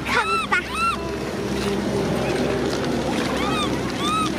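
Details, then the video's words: Infant macaque Cola cries near its angry sister Lyly: two quick bursts of arched, wavering whimpers open the recording, a noisy gap follows, then a few more arched cries near the end over a constant hum. "Cola baby monkey cries angry sister Lyly"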